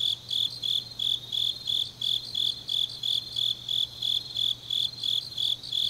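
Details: Autumn night chorus of grass insects in Changnyeong, Gyeongnam, Korea; bright high-pitched chirps repeat evenly roughly three per second over a softer continuous insect trill, a low faint hum running throughout.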